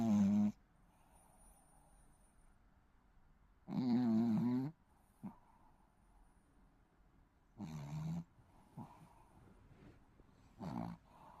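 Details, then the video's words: A Shih Tzu puppy snores while asleep, producing four rasping, throaty snores, some up to a second long, at steady intervals of about four seconds. "시츄 코골이 아가"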